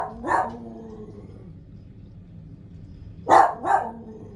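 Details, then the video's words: Dog named BMO barking: one bark near the start, then after a quiet stretch two sharp barks in quick succession near the end, over a low background hum. "BMO Barking!"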